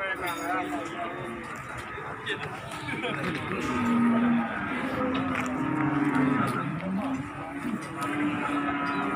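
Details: Cattle coming down from a truck at Margorejo market in Pati, 13 May 2020; a drawn-out low moo wavers through the middle, with voices and general market bustle around it.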